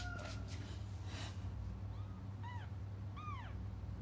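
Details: Kittens crying for their absent mother: three thin, arched mews, the last longest and most drawn out, over a low background hum.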